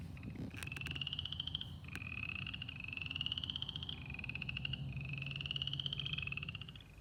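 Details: An Upland Chorus Frog from temporary spring pools in the southeastern US gives short, rising, slower pulsed trills, like a thumb drawn across the teeth of a comb.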